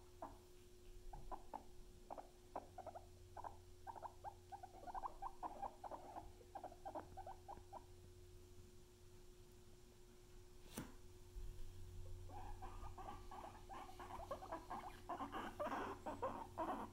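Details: Pet guinea pigs named Luna and Chip squeak in quick, uneven pulses, sparse at first, then building into a dense, louder chatter of squeaks toward the end; one sharp click and a low hum are also heard.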